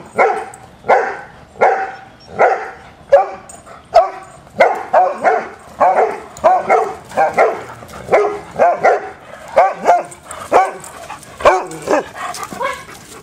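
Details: Playing hounds barking steadily, over a dozen bright, echoing barks and yips tumbling one after another at an uneven pace, some overlapping, fading slightly toward the end.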